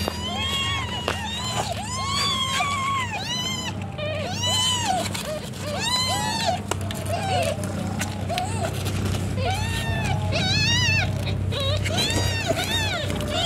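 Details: Domestic cat Cimoi giving birth to kittens: a steady run of high, arched mews, each rising then falling, repeated several times a second, several voices overlapping, over a low engine-like hum and occasional clicks.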